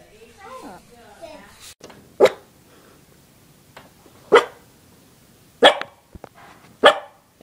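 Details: Puppy giving short, sharp barks at uneven intervals of one to two seconds, four in all, after a brief stretch of human speech at the start.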